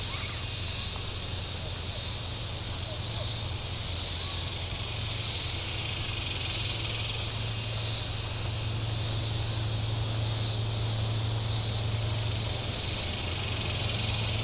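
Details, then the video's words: Cicadas calling from the shore of Table Rock Lake, southern Missouri, on a very warm Saturday: a high, hissing buzz pulsing in swells about every 1.2 seconds, over a steady low hum of boat engines. "Boating Lake Sounds and Cicadas"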